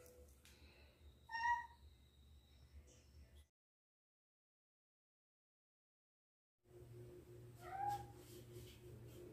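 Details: Domestic cat meowing indoors: a short rising-falling meow near the start, a gap of silence, then a second drawn-out meow, over a steady low hum.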